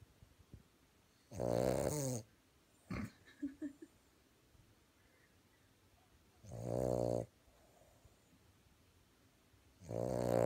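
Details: A male Boston Terrier napping in Idaho, USA, snores loudly in long, rasping, groaning breaths that come every few seconds.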